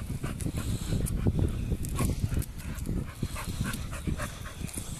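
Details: Two Bull Terriers play-fight, scuffling with deep, rumbling growls, rough pants and sudden snorting bursts.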